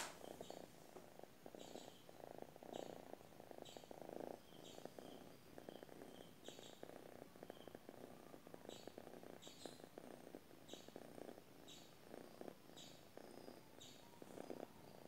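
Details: Sleeping domestic cat purring steadily, a low rumbling pulsed in short bursts with each breath, roughly one to two per second across the whole stretch; faint high chirps recur in the background.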